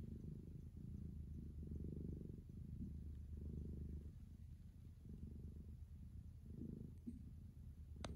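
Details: Relaxed tabby cat stretched between a cat tree and a window sill, purring and kneading with its paws; a loud, continuous low rumbling purr swells and eases in rhythmic waves, with a brief click near the end.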